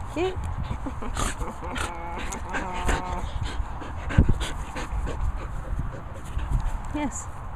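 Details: Border Collie Cassie whimpers in short, nasal, harmonic whines, a cluster near the middle and brief rising squeaks at the start and end, over steady background noise and human speech.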